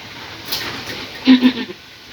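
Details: Female Boer goat named Valentine in labour close to 11 at night while giving birth: two short, loud, low strained bleats in quick succession, with faint human voices and a quiet room hiss around them.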